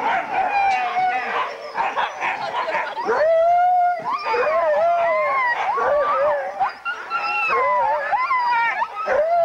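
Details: Huskies gathered at a sled dog race weekend in the Forest of Dean, November 2001, on old VHS tape: a crowded chorus of overlapping howls and yips, with long wavering tones and rising, sliding whines layered on top of each other throughout.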